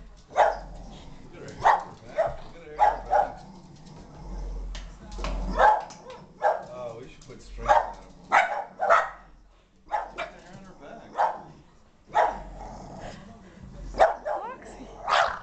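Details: Moxie, a Boston Terrier, freaks out in a living room at an Asian ball-jointed doll visiting for the first time: sharp barks in irregular bursts, some doubled, with people talking between them.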